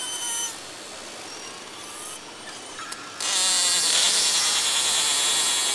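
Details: A beluga whale gives thin whistles, then a dense, buzzy burst of rapid broadband pulses; belugas combine whistles and pulse trains into chirps, squeaks, barks, screams and trills in social communication.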